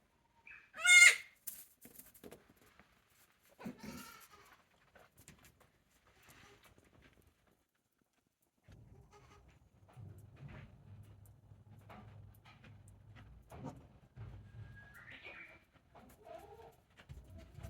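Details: Newborn goat kids, one day old, at the handmade Yoshigake goat farm on 17 April 2024. A single loud, high, harmonic bleat opens, a softer cry follows, then a low steady hum with faint rustling.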